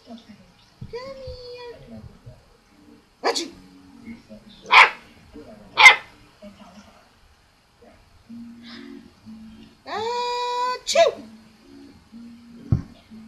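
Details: Abby, a pet dog, giving her very first barks in response to her owner's sneezes: short, sharp, scattered barks among a woman's repeated fake sneezes and high, drawn-out coaxing calls of "come here" indoors.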